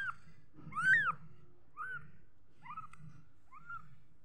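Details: Little kitten with one loud rising-falling meow followed by three softer, shorter mews spaced about a second apart, low hum beneath.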